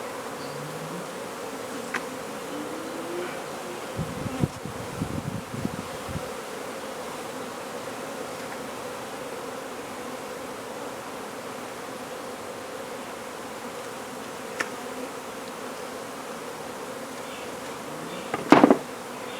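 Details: Honey bees from a hive being removed from a wall and relocated in Brownsville, Texas, give a continuous low droning hum. A few handling thumps early on, and a sharp knock near the end.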